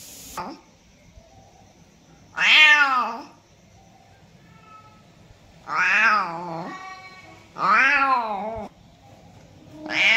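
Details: Several meows from a domestic cat, sounds used to attract cats: bright, arching harmonic calls roughly every two seconds, the first clipped short, with quiet background hiss and a faint tonal hum between calls.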